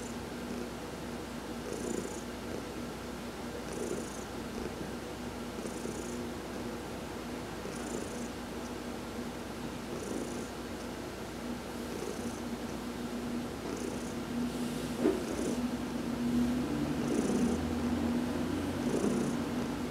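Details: Heidi the cat, massaged while basking in the sun, keeps up a long low purr with breath-paced swells about every two seconds, growing slightly louder near the end.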